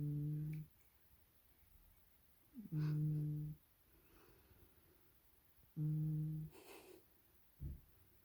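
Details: Supes the cat hums while asleep: three low, steady nasal hums, each roughly half a second to a second long, spaced about three seconds apart, with soft breathing between them in a quiet indoor room.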